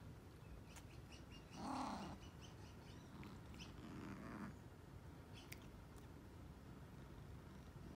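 A Ragdoll cat gives a brief, breathy yawn with a soft squeaky note, then a quieter exhaled sigh.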